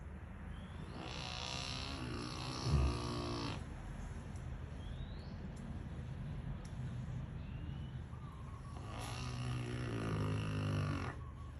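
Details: Toom, a fat Rottweiler, snoring loudly while asleep: two long rasping breaths, each lasting about three seconds, separated by a quieter pause, with faint high chirps in the background.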